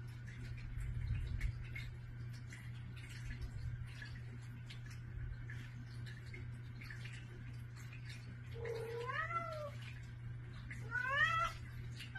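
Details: Domestic cats asking for food in the morning by a bedroom door; after a stretch of low hum and faint rustling, two rising-and-falling meows, the second louder and more strained.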